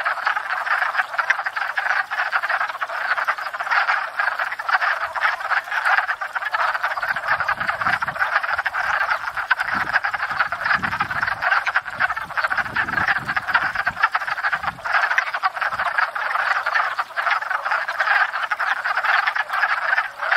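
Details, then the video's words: Spring breeding chorus of wood frogs at a pond, come to court and breed after thawing: steady, unbroken mass of raspy clucking croaks from many frogs, with a few faint low thumps partway through. "Wood Frogs"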